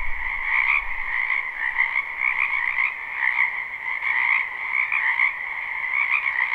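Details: Spring wetland frogs in full chorus, recorded live behind a home: overlapping croaks merge into a continuous buzzing trill, gently pulsing in loudness every second or so, with a faint low rumble at the start.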